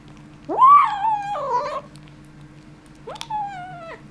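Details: Kitten guarding a bone lets out two drawn-out yowls, the first rising sharply then wavering and breaking into a rough growl, the second after a pause starting high and sliding slowly down; steady electrical hum behind, indoors.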